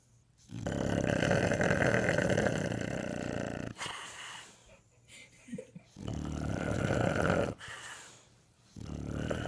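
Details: An English Bulldog snores around the house in long, harsh, rattling breaths separated by brief quiet pauses.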